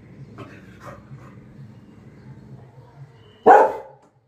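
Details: Lily, a pet Labrador Retriever, after her apple has fallen: a low droning whine runs under faint sounds for three seconds, then one sharp, loud bark ends it.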